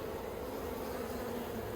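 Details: Honey bees of the Yellow Hive, an Australian backyard colony given plastic frames, 9 October 2021. An even, unbroken low droning hum fills the moment with no other clear sounds.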